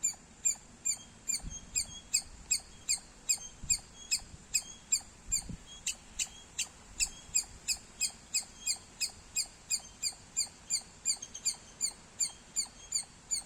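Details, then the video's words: Squirrel chirping loudly: sharp, high, clipped chirps repeated steadily about two to three times per second throughout, each a bright harmonic click-like note, with faint low rumbles in the background. "Loud Squirrel Sounds -squirrel chirping Sounds Loud"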